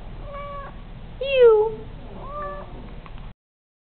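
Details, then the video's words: House cat copying its owner's I love you: brief quiet human phrases frame one loud, drawn-out descending meow in the middle, recorded in a room. "Cat repeating after me"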